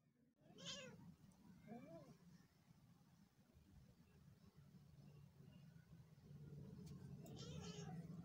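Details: Pet cat meowing in a home compilation: two short, faint meows in the first two seconds, the second a brief rising-falling arc, followed by a steadily growing low hum and background noise.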